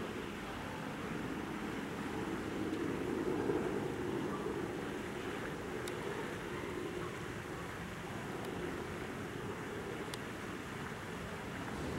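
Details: Rushing, wind-like ambient rumble with a few sharp clicks; no animal calls stand out.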